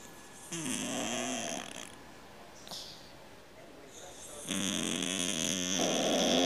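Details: House cat snoring like a grown man: two drawn-out, buzzy snores with a rough rattling texture, separated by a quiet pause of about two seconds; the second snore is louder and longer.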